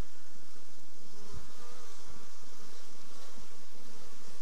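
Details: Buzzing of honey bees with chronic paralysis, the black bee disease: an even, continuous droning hum lasting four and a half seconds, with a few faint low thumps.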